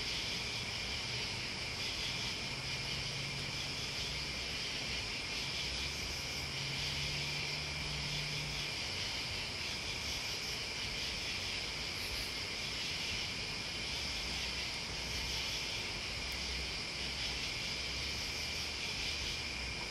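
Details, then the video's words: Crickets and bugs fill the air with a seamless high trilling buzz in two steady bands, gently throbbing, while a faint low droning hum comes and goes underneath. "Listening to Crickets and Bugs"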